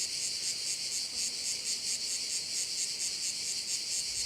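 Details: Insect chorus from crickets around a Korčula bay in Croatia, heard as an unbroken high, buzzy trill that throbs rhythmically and evenly from start to finish.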